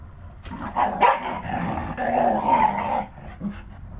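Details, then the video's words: Patterdale Terriers at play, two dogs trading a continuous run of rough growls and short yipping barks, building to a noisy tussle before easing off near the end. "patterdale terriers jack and alfie playing"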